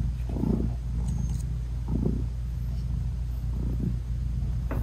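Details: British Shorthair mother cat with her newborn, closed-eyed kittens while nursing; a low purring rumble underlies a few short, soft mid-pitched murmurs and rustles.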